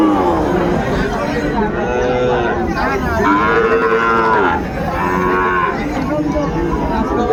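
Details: Sahiwal breed bull calf at the Ambari haat, Dinajpur, 21 March 2025, during early trading: a long, harmonic, rising-then-falling moo in the middle of the clip, with people talking and haggling all around.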